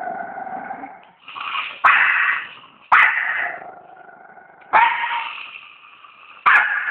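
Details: A dog produces a series of sustained, harmonic whining growls. Each begins with a sudden sharp attack, comes about every one to two seconds, and fades gradually.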